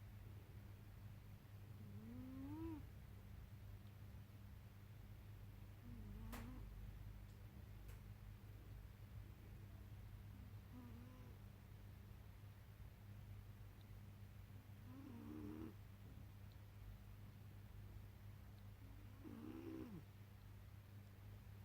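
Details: Mika, a pet cat, sleeping peacefully and snoring indoors: soft, faint whistled tones that rise and bend, repeating about every four seconds over a steady low hum, with an occasional light click.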